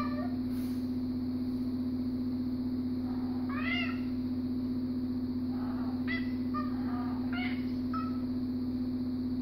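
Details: Siamese cat unhappy about sharing an armchair, uttering a rising meow near four seconds followed by a cluster of short complaining calls, with a constant low hum underneath.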